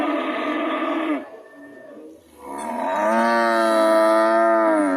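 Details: Two drawn-out cow moos: the first already sounding as the recording starts and ending after about a second, then a short quiet gap, then a second longer, louder bellow that slowly rises and holds to the end.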